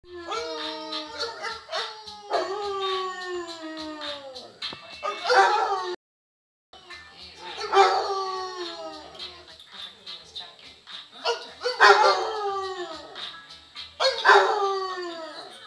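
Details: A pet hound howling while its owner teaches it to howl: long, drawn-out, wavering howls that slide downward in pitch, given in a series of several bouts with a brief break midway, a voice faintly heard between.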